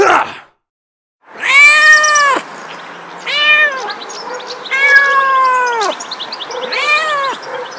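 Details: Two little kittens with their cat family give four drawn-out meows, each about a second long, harmonic and slightly arching in pitch, spaced roughly every one to two seconds after a brief opening sound and a pause.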